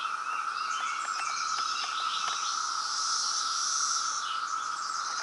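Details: Massed periodical cicadas calling during the loud 2017 brood emergence in Reston, Virginia: a sustained droning hum with a bright upper hiss and faint rapid ticking.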